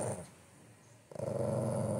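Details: Indoors, a Golden Retriever complaining to its owner: after a quiet pause, a deep, throbbing growl starts in quick pulses and settles into a steady low rumble.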